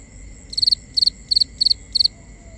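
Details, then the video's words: Cricket at night in a binaural recording: five regular high chirps, each a tight cluster of pulses, about three per second, over a steady faint insect hum. "Cricket Conversations | Binaural Nighttime Ambience"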